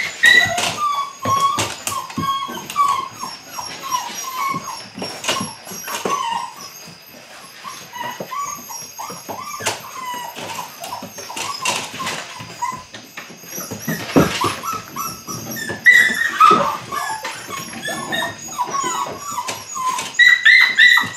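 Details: Whimpering from 8-week-old Belgian Malinois puppies during early bite work, a steady run of brief tonal cries broken by frequent clattering taps and handling noise, with a few higher squeals late on.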